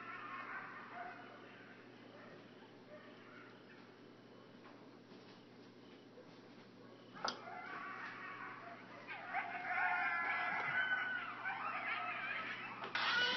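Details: Coyotes going wild about 50 feet from a cabin porch in Hendersonville: a quiet, hissy stretch gives way to a sudden loud burst of overlapping high yips and wavering howls in the final seconds.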